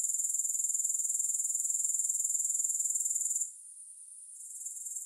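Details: Grasshopper sound: a bright, high pulsing buzz, throbbing about four times per second, that cuts to a faint hiss after three and a half seconds and begins to build again at the very end.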